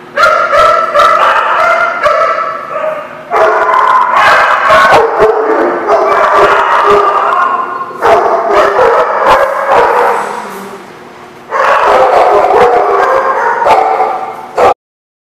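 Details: A crowd of dogs barking steadily on 22 October 2016, dense overlapping barks and yips in long bursts broken by brief lulls near four, eight and eleven seconds, ending abruptly.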